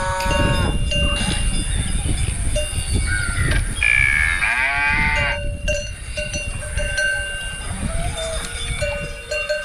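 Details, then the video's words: Cow giving a short, rich, harmonic moo of around a second and a half, set against constant farm clatter, steady cowbell-like tones and broad rumbling noise. "cow mooing sound effects"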